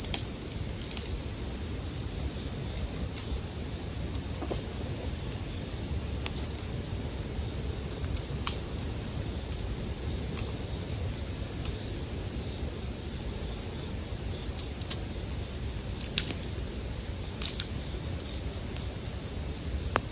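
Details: An unbroken high, ringing chorus of bell crickets continues for twenty seconds. Scattered crackling pops from a bonfire mix in, mainly toward the end, over a soft low fire rumble.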